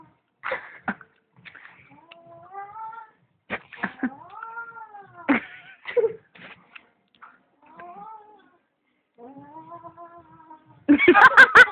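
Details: Domestic cat held against its will indoors, giving repeated moaning, arching meows that rise and fall. Short clicks and knocks fall between them, and a loud harsh burst of noise ends the sequence.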